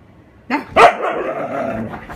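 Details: Husky playing with a paper bag gives a short yelping bark followed by a drawn-out, wavering vocal moan that fades over about a second and a half, indoors.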